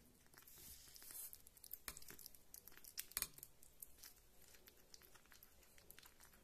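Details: Kitten Rita tears at and chews her food at close range indoors. Louder ripping and squelching bursts come near the middle, then lighter irregular crunching follows in a quiet room.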